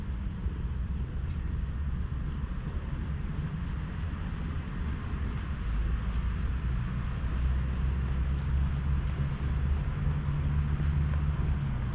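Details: A continuous low rumble, like a passing vehicle or wind on the microphone, fills the recording. No animal call stands out from the noise.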